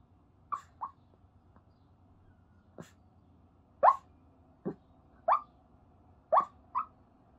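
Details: Rescue Chihuahua dreaming while asleep, giving soft muffled yips and whimpers, short squeaky bursts spaced irregularly, about eight over several seconds, with a faint steady hum behind.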